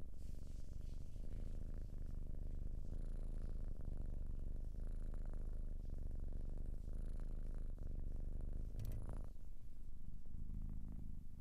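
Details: Long, continuous purr from a domestic cat, a loud rumbling vibration that runs on unbroken, with a brief brighter rustle or click around nine seconds before the purring settles again.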